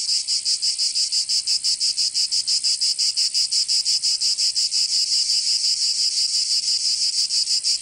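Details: Provence cicadas in summer, southern France: an intense metallic buzzing that throbs in regular beats about three each second, continuous and loud, with no other noises.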